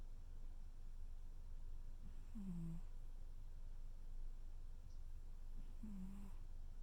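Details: Tuxedo cat snoring softly while cuddling indoors: two low, droning snores about three and a half seconds apart, each a short humming rasp, over a quiet room hush.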